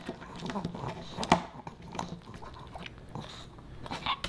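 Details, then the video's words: Boba Bear, a Pomeranian puppy, snacking on dog-friendly fish and chips indoors in a small room; soft wet chewing and mouth clicks with a sharper bite near the middle, quiet throughout. "Animal Mukbang & ASMR: Puppy Dog Eats Fish N' Chips"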